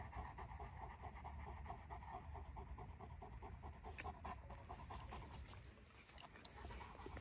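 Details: Panting of a Dogo Argentino female during her first mating, quick regular breathy strokes repeating rapidly, a little uneven toward the end, with light clicks and handling noise.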